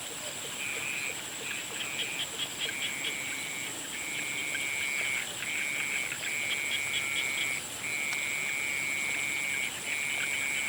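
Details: Frogs calling at sunset: high, level trills of varying length mixed with quick, low, rhythmic croaking pulses, set against a continuous thin high-pitched hum.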